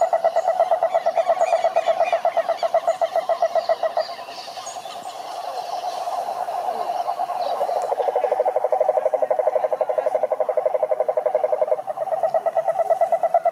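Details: Chorus of cane toads (sapo cururu) at a lake in Brazil's Atlantic forest: dense, steady pulsed trills at a low-mid pitch, about four pulses a second, overlapping voices that dip briefly near the middle, with faint higher chirps above.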